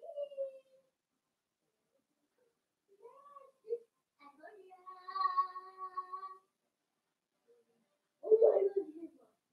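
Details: Blenheim Cavalier King Charles Spaniel puppies, a litter of five born on New Year's, playing with their mother in an indoor puppy pen; brief high whines, a sustained tonal whine lasting about two seconds, then a louder, harsher yelp near the end.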